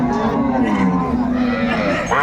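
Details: Sahiwal cow with her calf at the Aftabganj cattle market in Dinajpur on a Saturday, 14 December 2024: a long low steady moo lasting about two seconds, with a man talking over it.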